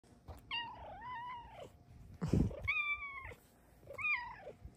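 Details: A female Bengal cat gives three drawn-out meows, each with a rising then falling tone.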